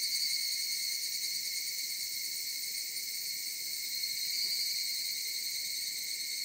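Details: Mountain cicada chorus, a continuous shrill, ringing drone of stacked high tones holding steady throughout, with a faint soft rumble underneath.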